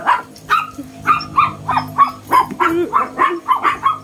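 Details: Small but bold Shih Tzu squaring off against a Belgian dog; steady series of sharp, yappy barks, about two per second, some ending in a brief rising whine.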